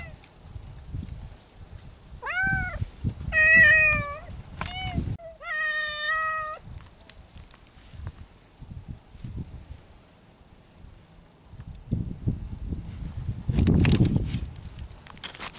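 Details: Feral mountain cats courting in spring: a series of drawn-out, harmonic, wavering meows, four to five calls between roughly two and seven seconds, some arching and some level, with rustling and low outdoor rumble before and after.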